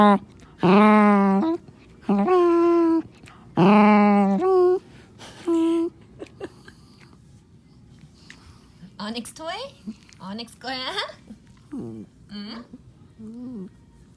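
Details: Onyx the black Morkie, possessive over his toy, lets out four loud sustained groaning moans in quick succession, then shifts to softer, scattered whiny yelps and squeaks at varying pitches.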